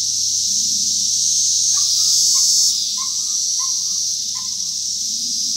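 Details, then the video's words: Cicadas from 2021 produce a loud high drone that drops off sharply after about three seconds, while a bird repeats short whistled notes about every half second over it. "Cicada’s 2021 Sounds"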